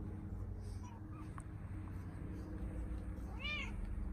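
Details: British Shorthair cats enjoying a summer house outdoors on a summer morning; one clear arching meow near the end, preceded by faint brief chirps, with constant low background hum.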